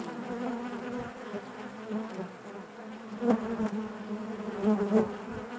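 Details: Continuous low hum of a honey bee colony within the hive, rich in harmonics, with a few louder, closer buzzes standing out over the steady drone in the second half.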